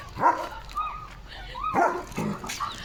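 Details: Pet German Shepherd at home lets out two loud barks between thin, rising whine-like tones, over a continuous low rumble.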